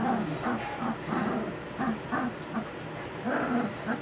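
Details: Puppies aged two weeks and six days, just learning to use their voices, give soft low grumbling calls in a steady series, one about every third of a second, with faint talking under them.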